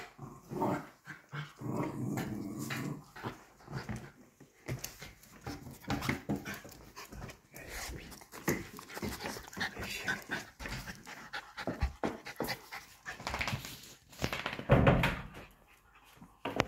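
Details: Black Fell Terriers of Patterdale type, working hunting dogs, playfighting indoors: rapid breathy bursts of panting mixed with low rumbling growls and scuffling, coming in uneven surges, with a louder growling flare near the end.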